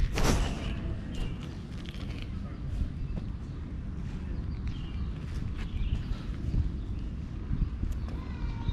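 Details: A petted male cat purrs loudly in contentment, a constant deep rumble after a brief sharp rustle at the start; distant birds twitter faintly over the purring.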